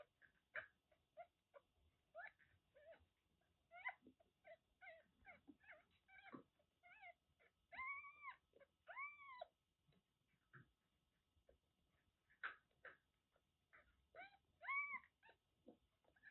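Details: Kittens about one month old, from a litter of five born to a stray mother cat in Kagoshima, Japan, mew indoors. Their thin, arched mews repeat in quick irregular bursts, sometimes overlapping, with a few longer rising-falling cries mid-way.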